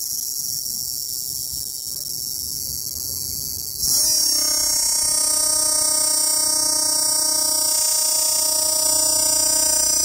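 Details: Cicadas near the Popocatépetl volcano, Mexico, fill the air with a high, hissing buzz, then a nearby one starts a loud, steady droning tone.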